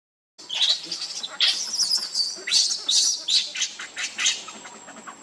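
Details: Hungry baby monkey crying to beg for milk: loud, high-pitched squealing cries in quick uneven bursts, about two or three a second, each sharply rising then falling away.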